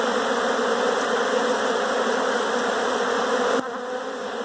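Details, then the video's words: Massed buzzing of numerous honey bees in a house, a loud steady drone that abruptly quietens in the last second. "honey bees in my house!"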